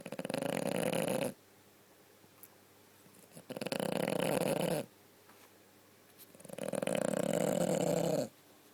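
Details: A female French Bulldog, groggy after having a broken toenail removed, sleeps and snores in long, rasping breaths, each over a second long with quiet pauses between, while shaking.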